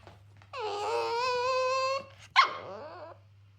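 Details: An angry Cavalier King Charles Spaniel, furious at getting a smaller breakfast than usual, indoors: a long sustained whining howl for about 1.5 seconds, then a short sharp bark-like yelp.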